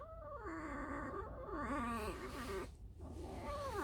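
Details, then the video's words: Tame female fox in an enclosure, squeaking while resting after a night out: a continuous, whiny, wavering squeak with rich harmonics, its pitch bending up and down over about four seconds, with a brief gap near the end. "Алиса - лиса. Просто скрип"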